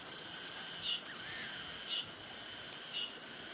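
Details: In summer, on the day of malbok, at the Cheongryongsa temple entrance, Seoun-myeon, Anseong, Korea, cicadas fill the air with a dense, high, hissing buzz swelling and dipping about once a second, amid katydids, crickets, voices and flowing water.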